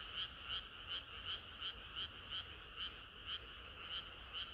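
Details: Frogs croaking together on a summer night; distinct rasping pulses roughly every third of a second, slightly irregular as neighbouring callers overlap, with a soft continuous hum beneath.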